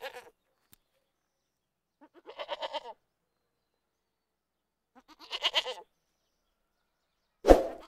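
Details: Goat giving two separate wavering bleats a few seconds apart, each shaky and pulsed over about a second, with quiet gaps between and a sharp knock at the end.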